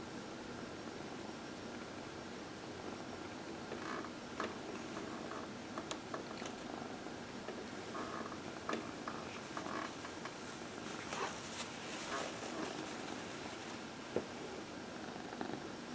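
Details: Dinah, a 14-year-old adopted female cat, purrs softly during her early evening lap time while getting a massage indoors; a low, steady purr runs throughout with faint rustling and a few light clicks in a quiet room.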